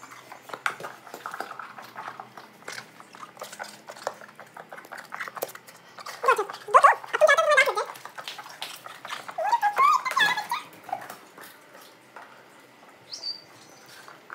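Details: German Shepherd named Mango entertaining himself, playing alone while his owners are away; two bursts of high, wavering whines and whimpers midway, set among steady clicks, taps and scuffling from his play.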